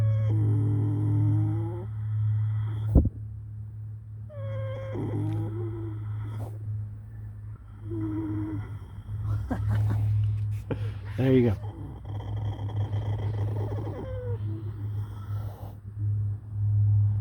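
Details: Sleeping horse snoring, each breath drawn out into a low groaning, tonal moan that returns roughly every three to four seconds, some breaths rougher and rattling, over a constant low electrical hum.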